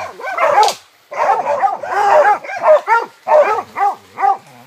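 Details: Hunting dogs going after white-lipped peccaries give harsh, rough barks at first, then a steady run of clear, evenly spaced barks roughly every half second after a brief gap.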